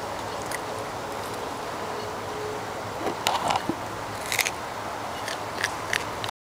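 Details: Macaque eating a carrot, recorded close up: sharp, crisp crunching bites arrive in short bursts around the middle and end, over a steady hiss of background noise.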